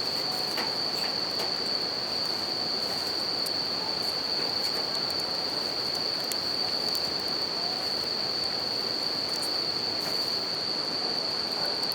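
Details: Steady high ringing song of a bell cricket heard over the constant roar of a nearby river, with light crackling from a campfire throughout.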